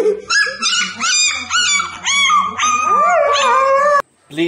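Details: Puppy howling, perhaps for the first time: a series of short, rising, quavering howls gives way to a long, steady, drawn-out tone that bends downward. A human voice joins in alongside, and the clip ends abruptly.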